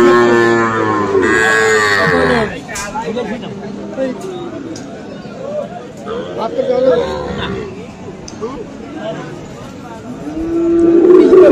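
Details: Market scene at Aftabganj haat, Dinajpur, 21 February, among Friesian and crossbred cattle: a strong moo for the first two and a half seconds, then voices and crowd noise, and another low moo starting near the end.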